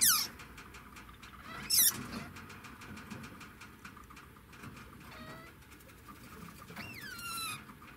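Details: Degu heard with two loud sharp clicking bursts early on, followed later by soft, curved whistled calls that sweep upward then drop, over a steady low hum.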